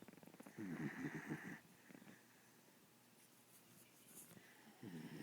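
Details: An asleep pit bull dog, described as a very loud snorer, giving a rough rattling snore of rapid fluttering pulses for about a second, a long quiet pause, then the next rasping breath starting.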